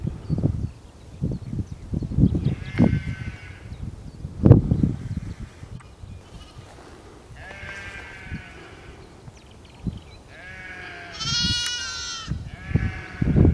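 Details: Lamb calling in the presence of a fox: three separate bleats, each a harsh, wavering cry with a rich harmonic stack, spaced several seconds apart over heavy low rumbling and thumping background noise.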